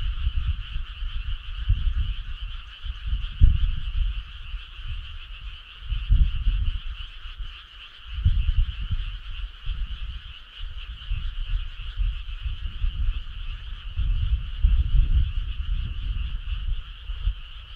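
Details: On a midsummer night, a large group of frogs keeps up a constant high, buzzing trill, punctuated by loud low thumping gusts of noise every few seconds.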